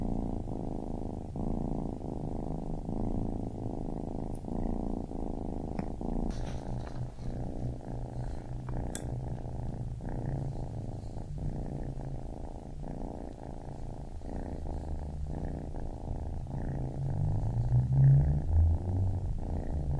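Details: Baby kitten purring steadily, a low continuous rumble with faint rhythmic pulsing and soft breath cycles, no other clear sounds.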